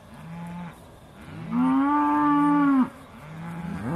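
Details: Aussie Red dairy cows at Beaulands ahead of milking, December 2012: quiet low grunting lows repeating in the background and one louder, level moo lasting over a second, with another call starting at the end.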